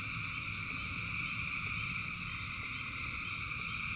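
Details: Frogs in rain, thousands singing at once, creating a constant ringing buzz of layered trills above a rough, low rain rumble with short croaking pulses.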